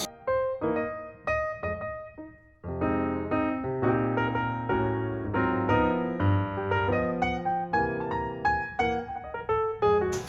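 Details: Solo piano music plays throughout, with chords and melody notes and no animal sounds.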